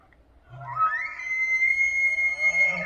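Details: Bull elk bugle from Banff, Alberta, Canada, during the autumn rut in September, announcing readiness to fight for his females; a whistle sliding upward then held as a pure steady high tone.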